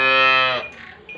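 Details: Jersey Friesian cow at a cattle dealer in Pakpattan, Pakistan, giving a short, deep, steady moo that lasts about half a second and then breaks off into quieter background noise.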